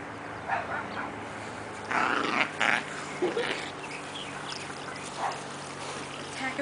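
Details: Two miniature Dachshund puppy sisters, Junebug and Lil-bit, dressed as killer bees for Halloween, play-fighting at a playdate; short bursts of growling and snarling yaps, loudest around the middle, over a steady low indoor hum.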